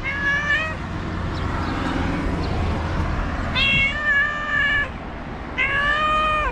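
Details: Moroccan stray tomcat hoping people will discard trash so he can find something to eat gives three clear, sustained meows, each about a second long, separated by pauses, with low urban hum behind.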